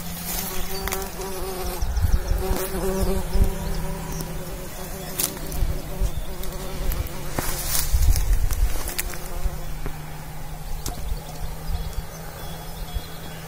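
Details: Bumblebee at work pollinating. A continuous low buzz with a wavering upper hum, broken by frequent crackling bumps and handling noises.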